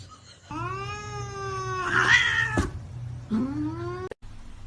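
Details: A domestic cat gives a long, drawn-out harmonic meow that rises slightly and then sags, followed by a shorter rising meow, with a low steady hum beneath and a brief clatter in the middle.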